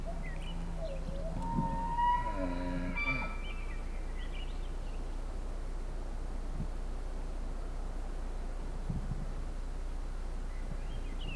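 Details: Bull elk called the Sheriff, the biggest bull, bugling one morning at a lodge in Canada's Rockies during the rut, just after a fight that broke a tine. A rising whistled bugle over low harmonic groans, then steady rumbling background noise and faint chirps.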